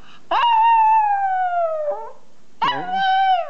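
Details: Small pet dog howling while enjoying himself: two drawn-out tonal howls, the first about a second and a half long and slowly falling, the second shorter and level, each opening with a sharp yelp-like onset, quiet between.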